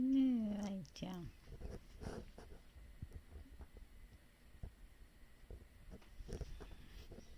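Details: Pet cat giving a voiced "aūn" while yawning: a short falling tonal moan with a second brief note, then soft rustles, faint speech and household noise.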